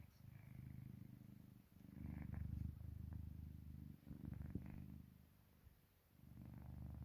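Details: Park Haru, a pet cat in deep sleep, rumbles with a snore-like purr: deep buzzing phrases on each breath, louder in the middle, quieting toward the sixth second before resuming, in a quiet room.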